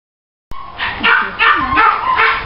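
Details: Female Labrador Retriever gives a quick run of high, harmonic yelps and short whines, overlapping and pulsing about twice a second after an abrupt start.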